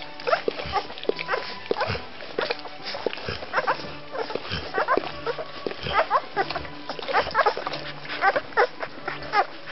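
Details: Second-week Rhodesian Ridgeback puppies squeaking and whining together, many short high cries overlapping continuously, some grunting, over a low constant hum.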